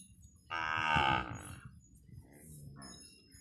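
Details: Punganur cattle, a dwarf indigenous breed, with a white cow and calf on a farm; one clear, fairly high, harmonic moo lasting under a second, followed by a faint shorter call and low background rumble.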